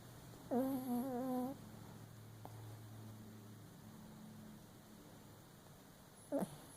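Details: Papillon Chihuahua asleep and dreaming makes one wobbling, nasal whine lasting about a second, then near silence apart from low room hum, ending with a brief rising squeak.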